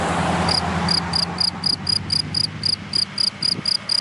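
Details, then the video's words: Cricket in dry grass in the daytime: after half a second of low traffic rumble, sharp high chirps begin, repeating steadily about four times a second. "Sound of Cricket in Dry Grass in the Daytime"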